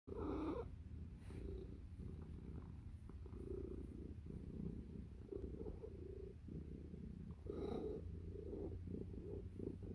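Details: Nacho, a pet cat, purring as he gets ready for bed: a steady low rumbling drone throughout, with a faint brief higher sound near the start and again around the eighth second.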